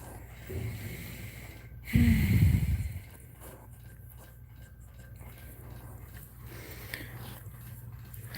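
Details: Dog crying indoors while another dog is in labour; one loud, low, whining cry lasts about a second and slides downward in pitch, followed by a quiet room with a steady low hum and faint rustling.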